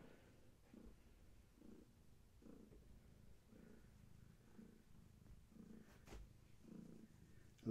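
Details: Pregnant long-haired tabby named Gaia purring at bedtime indoors; steady low purr in regular pulses roughly every 0.8 seconds, with a brief rustle near the end.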